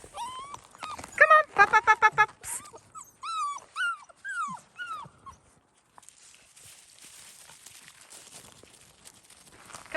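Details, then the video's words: Seven-week-old fox red Labrador Retriever puppies on their first time outside give short, high, falling whimpers several times in a row, after a woman repeatedly calls them with rapid encouraging words. "7 weeks old fox red Labrador puppies , introduction to outside"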